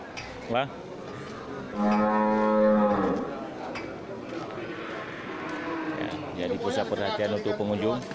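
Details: Local cattle for sale at the Geurugok livestock market, 29 March 2022, before Ramadan; a single loud, even moo lasting about a second, then chattering voices and general market noise.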